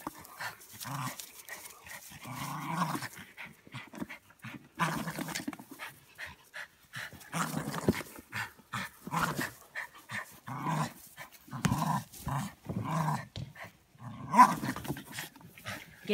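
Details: Playful Border Terrier growling and panting while shaking a toy, low rough growls in short irregular bursts with breathy pants between them.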